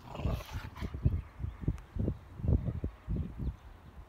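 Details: Rottweiler pack playing energetically, biting, chewing and pulling hemp ropes in a three-way tug-of-war; low rumbling growl bursts come in quick succession, several per second, with scuffling between them.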